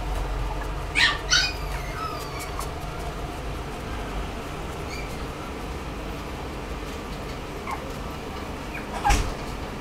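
A Toy Poodle gives a few brief, soft yips and whimpers against a quiet, hissy room background.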